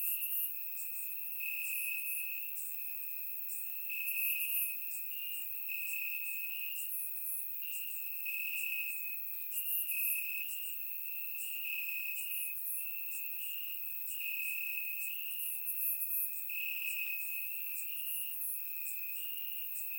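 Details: Night chorus of crickets chirping in grass on a warm Bulgarian summer night: a constant shrill trilling tone with rapid high chirps repeating several times a second, recorded with a surround microphone.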